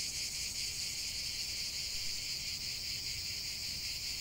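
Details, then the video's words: Cicadas in a dense chorus: a steady, unbroken high buzzing hiss with a faint rapid pulsing, steady in loudness throughout, with no other clear sounds. "45 min de chant des cigales"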